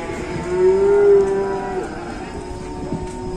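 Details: Cow at an Indonesian cattle farm giving one sustained, slightly rising moo of about a second, strongest near the middle, then fading into low barn background noise with faint knocks.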